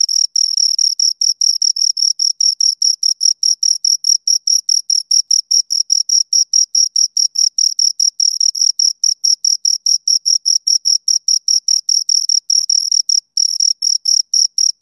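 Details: Continuous cricket chirping from two insects forms a long, uniform series of sharp, high-pitched pulses, roughly two or three per second. One brief pause falls near the end, in an otherwise silent setting.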